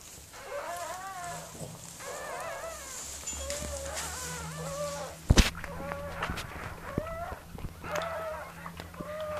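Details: Mirella, a Miniature Pinscher, in labour with puppies; repeated short arched whines, each rising then dropping, every second or so, over a low steady hum and one sharp thud.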